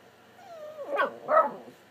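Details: Chatty house dog talking with its owner: a long, thin whine glides gradually downward, then two louder, rougher moaning yelps follow close together.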